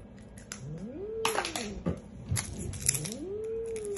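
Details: Angry domestic cat named Billy at the vet: long moaning growls sliding up and down, broken by sharp breathy hisses and spits in a small room.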